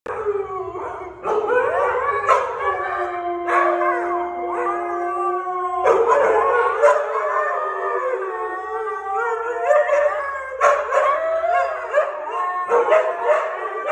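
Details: Siberian Husky, a young male nearly one year old, howling: long wavering tonal cries, some held steady for seconds, others sliding up and down, with short yelps between and almost no background noise.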